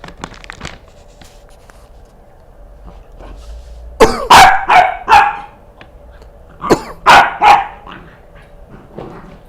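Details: Milo the Corgi, upset whenever someone coughs, gives two bursts of rapid barking, three or four harsh barks each, after a few soft clicks indoors.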